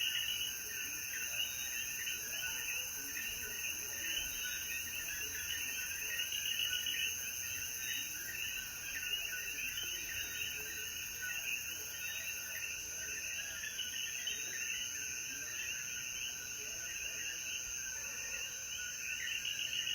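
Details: A sustained nighttime-style chorus of coquí frogs in Jayuya, Puerto Rico, at sunset following rain: countless repeated chirps blend into an unbroken pulsing wall, layered over high steady insect whine.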